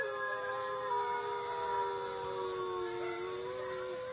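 Long, smooth howls hold steady and waver gently as an Alaskan Malamute answers wolf howls played back to it. Several howling voices overlap, with a faint, regular high ticking in the background.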